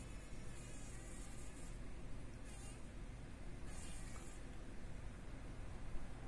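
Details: Struggling fly stuck in a workshop spider web, morning: repeated short spurts of whining, buzzy wingbeats, three bursts in about six seconds, set against a constant low hum.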